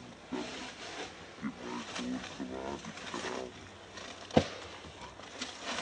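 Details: Wild monkeys near Angkor Wat, baby Briar nursing from mother Brianna; a series of short, pulsed, buzzy whines repeated through the first three seconds, then a sharp loud click and faint background rustle.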